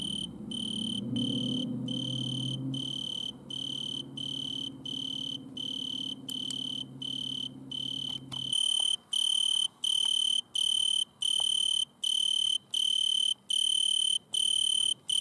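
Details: Italian tree cricket stridulating at night in a butterfly bush, lit by a red lamp: high, pure, ringing trills about half a second long with brief gaps, with low rumbling noise during the first half.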